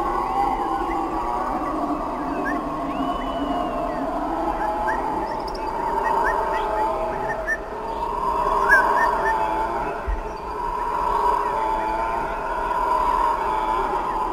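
Howler monkeys roar together in a deep, droning chorus that swells and fades like wind.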